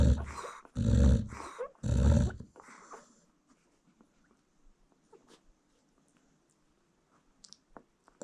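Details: Nursing American Bully mom asleep beside her newborn litter, giving three heavy rasping snores in quick succession before falling nearly silent, with only faint soft rustles afterwards.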